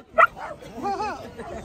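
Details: A Cairn Terrier at a charity dog walk lets out one sharp high yip, followed by softer whining tones and a person speaking.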